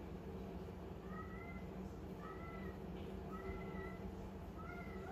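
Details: Calico kitten playing with a small ball gives four thin, slightly rising meows about a second apart, each short and high, over a steady low indoor hum.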